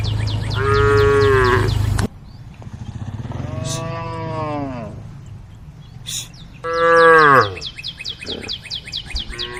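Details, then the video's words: Group of tame female cows calling the herd: three loud harmonic moos, each a second or more, sliding downward at the end, separated by abrupt cuts, with high chirping during the last call. "the sound of cows calling the herd"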